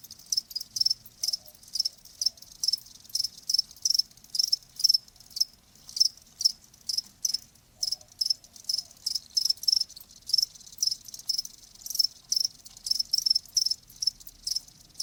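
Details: Steady cricket chorus meant to ease tinnitus: sharp high-pitched chirps repeating about three times a second with slight rhythm changes, layered callers, no other noises.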